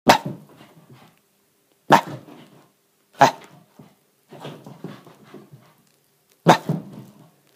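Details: A male Shiba Inu puppy in a playful frenzy, burning off excess energy indoors in an apartment, gives sharp, excited barks in bursts about every one to two seconds.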